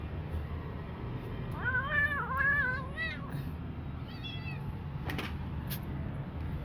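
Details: Kitten, taken in off the street and now doing better, gives a drawn-out wavering meow lasting about a second, followed by a shorter, fainter mew; low background hum throughout.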